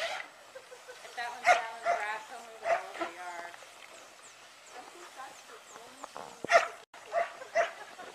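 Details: Fluffy pet Samoyed producing a sustained, wavering howl-like whine, then a few loud yips near the end, with human voices chatting and exclaiming throughout.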